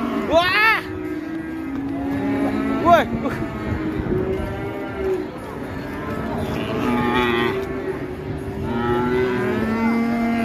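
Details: Cattle moo while a raging cow is being released; sharp rising-then-falling bawls open the passage, followed by softer, drawn-out overlapping moos from several animals over steady background noise.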